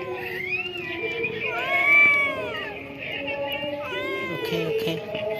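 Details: Pagoda-dwelling cat meowing in a string of short arching, whiny calls, rising then falling, repeated across the clip, with people talking softly underneath.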